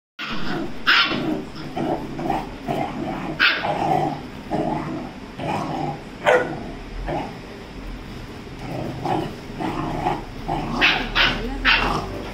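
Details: A 35-day-old Rajapalayam puppy fighting with a Labrador gives a run of short rough barks and low growls, bursts coming irregularly every second or two over a steady scuffling noise.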